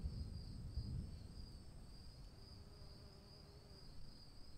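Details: Rain-soaked night with a cricket singing: a high, slightly pulsing trill that never stops, plus a thin upper tone, while heavier rain noise swells briefly at the start.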